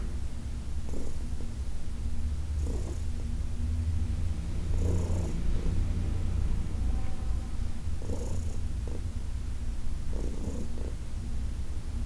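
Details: Heidi, a senior adopted cat from the Humane Society of New York City, keeps up a low, steady purr through a massage session on August 4, 2021, with soft swishing hand strokes recurring every two to three seconds over the rumble.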